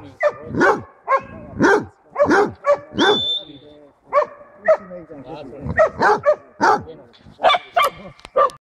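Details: A Basset Hound bays at a wild boar during a hunt near Šaštín, Slovakia, on 10 January 2014, with a rapid run of loud, ringing barks.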